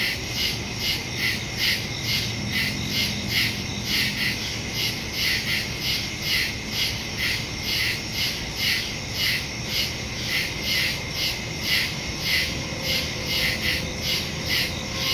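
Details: Night chorus of crickets in woodland, captured on September 2 with a phone and stereo microphone: rapid, rhythmic high-pitched pulses, roughly two each second, layered over a continuous shrill insect drone.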